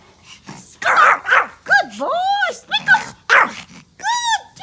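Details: Tiny, happy Pomeranian dog indoors, barking while playing with its toys: short harsh barks, then arched, whining yelps rising and falling in pitch, mixed with a person speaking Hindi who praises it and urges it to speak.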